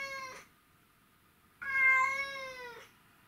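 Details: Male white and ginger Domestic Shorthair cat meowing because it misses its owner, recorded 12 August 2018: a short tonal meow, then a longer drawn-out harmonic meow about a second later, slightly falling at the end, in a quiet room.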